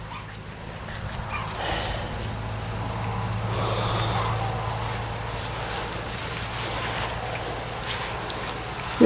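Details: A litter of 10-week-old Miniature Schnauzer puppies at play gives off scattered whimpers and soft yips. People talk over them, and a steady low hum runs underneath.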